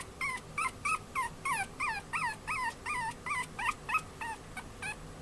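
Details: Pet-shop Chihuahua pup in Yokosuka, Kanagawa, Japan, male, born 2013-02-14, gives a steady series of nasal, wavering whines, each bending up then down, roughly three per second without pause, over faint room hum.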